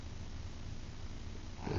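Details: Small female pet Shih Tzu (Canis familiaris) snores while asleep at night: a low, rumbling, piglike grunt that rattles steadily through each breath.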